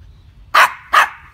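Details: Norwich Terrier refusing to get into a swimming pool, giving two sharp, loud barks about half a second apart, with its owner's coaxing voice just before and after.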